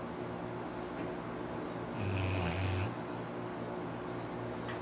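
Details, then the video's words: One drawn-out snore from Arfie, a pet Labrador Retriever, nearly a second long: a deep vibrating rumble with a hissing intake, set against a faint constant hum. "Arfie snores.."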